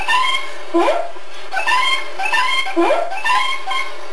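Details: Ozzy, a pet kitty recorded indoors on September 27, 2013, makes a vocalization that sounds like "Good Day?": short harmonic meow-like calls, each one rising then falling, repeated about every second in a small quiet room.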